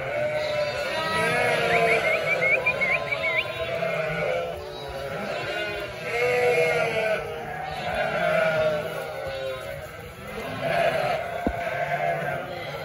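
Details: Large sheep flock, about 900 adults and 900 lambs, in constant chorus; layered tremulous bleats rise and fall in loudness, with shrill lamb cries and lower adult baa calls overlapping.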